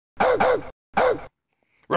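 A Boston Terrier gives gruff, throaty barks, a quick pair and then a single one, each dropping in pitch.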